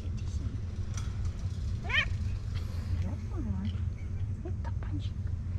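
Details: Stray cat sitting on a car in Istanbul, meowing and trilling for food and affection: a sharply rising meow near two seconds, then a lower falling call, over a steady low traffic rumble with a man talking.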